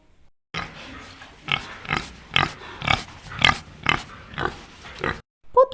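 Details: A domestic cat, described as gently purring-voiced, played in a children's guess-the-voice game: four drawn-out, harmonic meows, each slightly rising then level, with a short final chirp.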